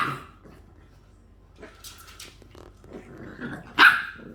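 English bulldog puppies give soft whimpers and small yips, ending in a sharper bark.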